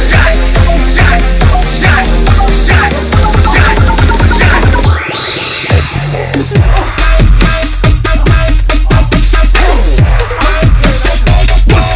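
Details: Loud electronic dance music with a heavy bass beat and drum-and-bass rhythm, breaking briefly near the middle before the beat returns; no animal voice is heard.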